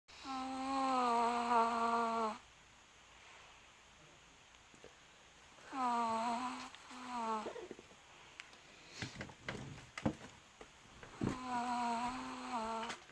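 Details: Pet dog making noises while asleep indoors: three bouts of steady, tonal whining whimpers, each lasting one to two seconds with a faint wavering edge, separated by quiet breathing and small rustles.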